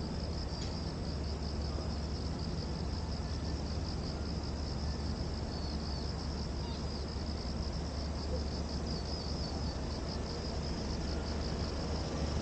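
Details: Late-summer cicadas at Gwanggyo Lake Park in Korea, 8 September 2021, filmed with a VR360 camera: a shrill, rhythmically pulsing buzz repeating in quick throbs for the whole stretch, with steady low-frequency rumble underneath.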